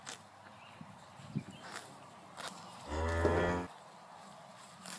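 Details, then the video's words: Holstein Friesian cow grazing, giving one short, low moo of under a second midway, with soft munching and background noise around it. "Cow Munching Grass & Colorful Baby Moo Cows Mooing"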